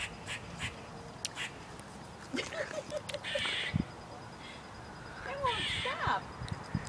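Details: Squirrel perched near the sun gives an odd call: a run of short, whiny, bending notes repeated quickly, then a few rising squeaky whistles. Human voices, background noise and rustling are also heard.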